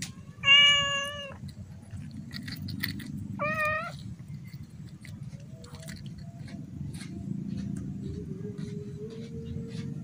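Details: Baby otter Molla, kept by people, screams while waiting to be given fish: two short, tonal, rich squeals, the first near one second long and the second briefer, then quiet murmuring and low rumble.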